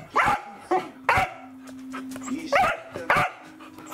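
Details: Welsh Corgi dog, filmed December 4, 2020: five loud, sharp barks in uneven pairs over four seconds, with a steady low hum underneath.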